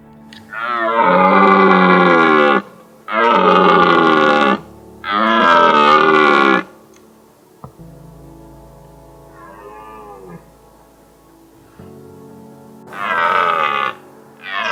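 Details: Red deer stags in mountains, about ten near their hinds during the 2022 rut, give long hoarse bellows every couple of seconds, announcing presence to hinds and warning rival stags away from their harem.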